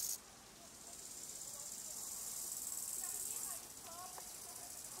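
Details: Chorthippus biguttulus, the bow-winged grasshopper, producing a single rasping high-pitched song phrase lasting about three and a half seconds, growing gradually louder before cutting off sharply, with soft scattered background sounds afterwards.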